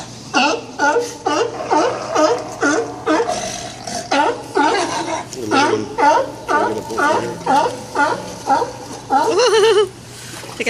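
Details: Loud sea lions competing for resting spots at Old Fisherman's Wharf, Monterey, California; rhythmic hoarse barking roughly twice a second for ten seconds, with people chatting nearby.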